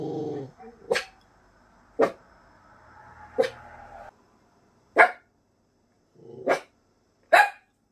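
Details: A nervous Miniature Pinscher indoors, reacting to a big dog barking outside the house, gives sharp, high barks at uneven intervals, with a brief low growl at the start.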